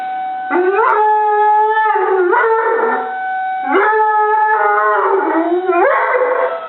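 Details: Molly the dog answers a tornado siren with howling. Sustained harmonic wails start with quick upward slides, then hold and sag slightly. The siren's steady drone runs underneath.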